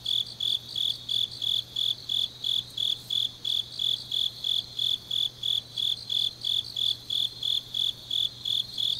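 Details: On a deep autumn night in Changnyeong, Korea, grass insects keep up a regular high chirping, about three pulses each second, bright and ringing, with a continuous faint low drone underneath.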